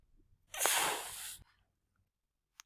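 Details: A domestic cat gives a normal hiss: a forceful, breathy, voiceless exhalation lasting under a second. Cats hiss as a defensive warning or when startled, and the hiss is often followed by lip licking, a sign of discomfort.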